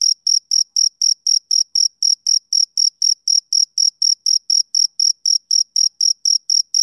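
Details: Summer-evening chirps from a male cricket, a regular sequence of sharp, piercing pulses at about four per second, nothing else audible around them.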